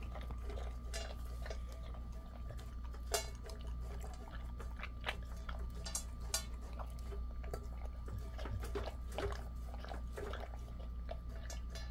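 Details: Indoor clicks and clatter with a steady low hum and faint wet sounds, like bowls and eating, with no clear animal call.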